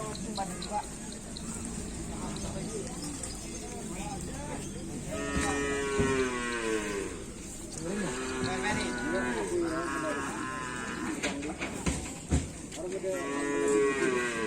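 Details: Cattle of a karapan sapi bull-racing team. A long, low, steady moo rings out midway and another near the end. Crowd chatter, music and background noise run throughout.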